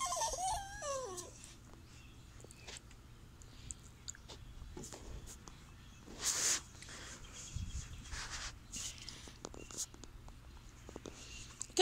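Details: Indoors, Blondie the Chihuahua mix gives a short, quavering, up-and-down whine at the start, then quiet shuffling, soft taps and room noise while she is coaxed to jump up.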